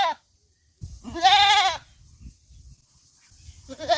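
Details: Goat bleating on a farm: one loud, wavering, harmonic bleat of about a second, with a second bleat starting at the end and low rumbling background noise between.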